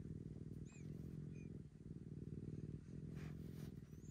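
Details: Maroshiro, a domestic cat rescued in 2014, acts like a kitten again while seeking attention in a second-floor cat room. A deep, continuous purr with brief dips for breath about every second, and faint high squeaky glides.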